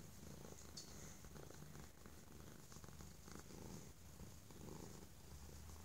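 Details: Very loud purring from Holyfield, a stray kitty appreciative of being inside and shown affection; low vibrating rumble rises and falls gently with each breath, with slight handling noise.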